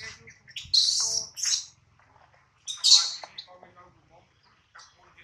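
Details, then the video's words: Baby monkey Adler, hungry and missing his mother, cries while held in the hands of a small monkey: two loud, shrill, screeching wails, each under a second, separated by a pause, with faint low rustling beneath. "POOR BABY MONKEY CRYING IN HANDS OF SMALL MONKEY BABY MONKEY ADLER MISSES HIS MOM AND HUNGRY"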